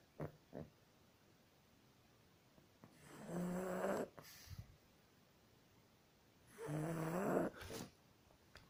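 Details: Pug snoring indoors: two drawn-out wheezy snores about three and a half seconds apart, each carrying a nasal, whistling tone, with short snuffles and quiet breathing between them.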